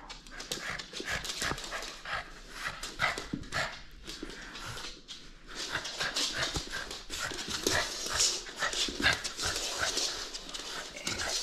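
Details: A playful French Bulldog holds on to a toy it will not surrender, giving uneven snuffling huffs and short panting bursts that swell and fade over several seconds, with light scuffling between breaths.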